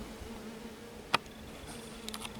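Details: Inside a colonised swarm trap hive, a calm black bee × Buckfast honey bee colony gives a faint, even, low hum, recorded 30 June 2023; one sharp click midway and light rustling near the end.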